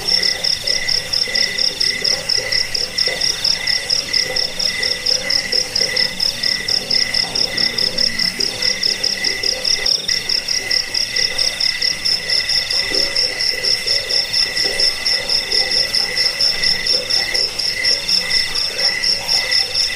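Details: Crickets in a continuous night-style chorus, played to scare rats, lull listeners to sleep and teach songbirds. A shrill ticking trill is unbroken, with lower pulsed chirps layered beneath and a faint extra high whine later.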